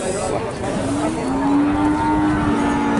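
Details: A female Peranakan Ongole cow lets out a long, level moo lasting about two seconds, carried over busy background noise with voices and passing vehicles.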